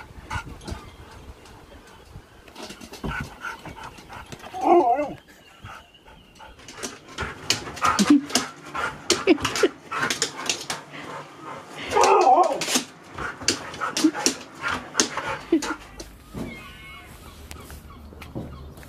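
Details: Husky named Sherpa, who lives in a van, vocalising during an excited happy dance: bursts of high whining and yelping howl-talk rising and falling, loudest around five and twelve seconds, with scratchy thumps and rustling in between.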